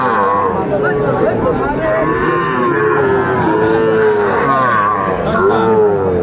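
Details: Small Sahiwal bull calves being sold at Aftabganj cattle market, Dinajpur, Bangladesh, on Tuesday 11 February 2025; a continuous chorus of overlapping bellowing moos, some rising then falling, under dense crowd noise and men talking.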